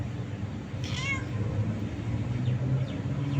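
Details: Single brief meow from a happy kitten in Abu Dhabi, a quick rising-then-falling tone over constant low background hum.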